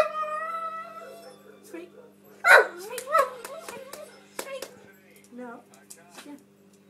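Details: A 3-year-old female Alaskan Malamute cries while waiting for her dinner, with long, wavering whines and sliding, yodel-like yowls.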